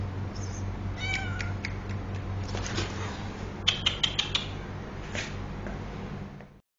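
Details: Two domestic cats scuffling: a few short, harmonic, falling meows early on, then a quick run of sharp clicking and scraping noises mid-way, with constant low background hum.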